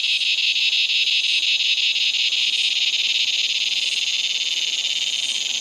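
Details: A razor grinder cicada (Henicopsaltria eydouxii), a common Australian cicada, calls as it gets dark, giving a loud, unbroken, high grinding buzz with a fast rhythmic pulse.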